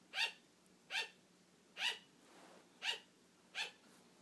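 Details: Pet female sugar glider barking indoors to get attention, wanting to keep playing as her owner falls asleep; short sharp yaps with bright harmonics, about one every 0.7 seconds, five to six in a row, quiet room behind.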